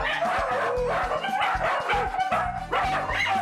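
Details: Four dachshunds from one three-generation household (mother, father, son and grandson) bark in rapid, overlapping bursts at a visitor entering the home, with the mother known to bark fiercely at outsiders; background music plays.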